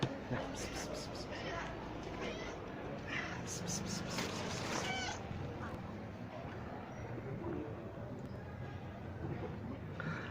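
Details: Mother cat with kittens living under a building among stacked firewood, brought out at feeding time: short repeated high meows in quick bursts over steady loud broadband noise, with a man talking throughout.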